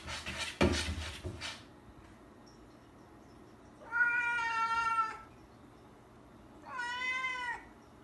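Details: A rescued cat indoors at night, meowing because it wants to go out; a clattering knock early on, then two long drawn-out meows, the first about a second long and the second shorter, each bending slightly in pitch, in a quiet room.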